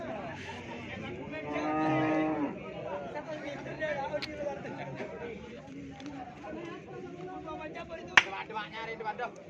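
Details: Cattle sold at Pasar Keppo in Pamekasan before Eid al-Adha: a deep, swelling moo of about a second near the start, heard over busy market talk and crowd noise, with a sharp clack later on.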